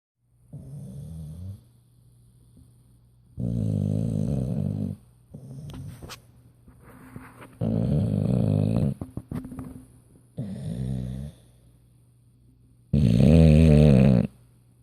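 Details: An English Bulldog snores while sleeping at night, as it does every night, in loud, rumbling, low bursts, each breath a rough rattling drone.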